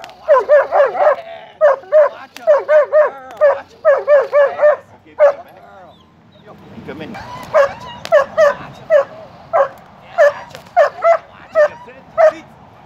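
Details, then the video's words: Six-year-old German Shepherd in protection training at a kennel, barking in rapid bursts of two to four sharp barks, with short pauses between bursts and a quieter gap midway; human voices heard in between. "A 6yr old German Shepherd was trained to do Protection!"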